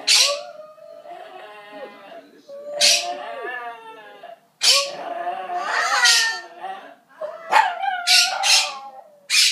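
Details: Shih Tzu dog howling in song together with a parrot: sustained, bending mid-pitched wails that rise and fall, broken by sharp, hissing squawks from the parrot, in a small indoor room.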